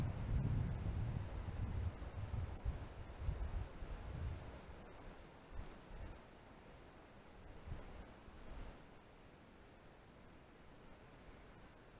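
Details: Low wind rumble and rustling fade out under a steady high electronic whine, with no animal calls.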